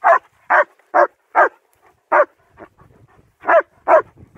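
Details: Barking from German Shepherds Nico and Zeeva during a winter walk in Hawick, Scotland, captured on a Samsung S23 Ultra phone: a fast run of harsh, punchy barks, about eight in four seconds, with a short quiet gap midway.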